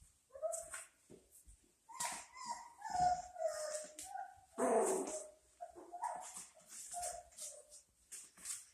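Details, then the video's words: Female Golden Retriever puppy indoors, giving a run of soft, high whimpers and whines that rise and fall in short bursts, with one louder, rougher whine midway and brief quiet gaps between calls. "Golden retriever puppy (brown female)"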